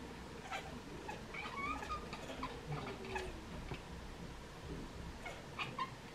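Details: Bengal cats, two of them, chattering at migrating-ready swallows: soft, short chirps and small wavering meow fragments spread across the moment, fairly quiet against a steady low room hum.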